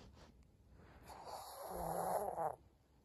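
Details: A senior pug gives a rough, breathy snort that swells and cuts off after about a second and a half; recorded 14 April 2022.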